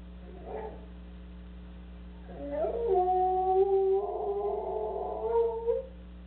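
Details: Soft Coated Wheaten Terrier left home alone, howling while the family is gone. A brief faint whine comes first, then after a pause a long, wavering howl rises, holds, breaks and resumes for about three and a half seconds over a steady low hum.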